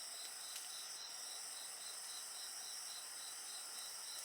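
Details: A chorus of insects recorded together with a bonfire. Dense, steady high-pitched trilling forms several layers, with a faster pulsed chirping line running through it. Occasional faint crackles and pops from the fire stand out.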